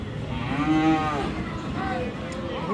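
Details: Sahiwal bull calves at Aftabganj cattle market, Dinajpur, on 31 March: one deep, harmonic moo swelling then fading over about a second, followed by a softer second lowing call against a murmur of market background noise.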